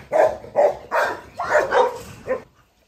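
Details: Rottweiler Aila, a pregnant female 46 days into pregnancy, fed and facing a long-time rival dog: about six loud, hoarse barks in quick succession over two and a half seconds, the later ones close together, then silence.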